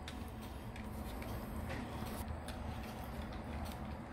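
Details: Steady low rumble like passing vehicles, with faint ticking clicks and no animal voice.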